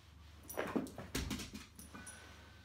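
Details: A male whippet, described as rather hyper, indoors: a few quiet, short whimpering yips in quick succession, then a faint thin whine.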